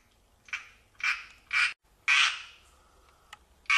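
Tree frogs give harsh, rasping bursts, each a quarter-second croak, repeated at uneven intervals.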